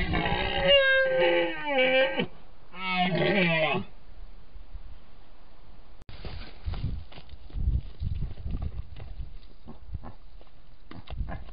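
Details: Red deer stag, an endangered species in Iran, roaring in the autumn rut in the North Central Alborz protected area, Nowshahr, filmed by rangers' cameras. Two drawn-out, wavering roars with rich overtones, then rustling and crackling background noise.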